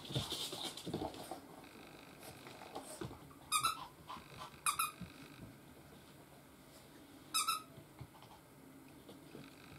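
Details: A 4.5-month-old Chihuahua puppy gives three short, high, squeaky yelps after some rustling.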